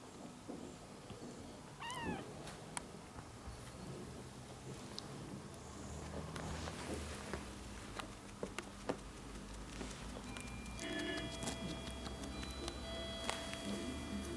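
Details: Four one-month-old ginger kittens with their young mother cat, a former stray kept indoors. A short, high, chevron-shaped meow sounds near two seconds. After that come faint rustles, clicks and, later, steady tonal hums.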